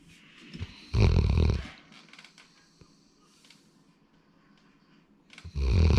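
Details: Snoring from a male Labrador Retriever named Sora, born February 2019, indoors: two loud, low rumbling breaths about four seconds apart, each lasting under a second, with quiet breathing between.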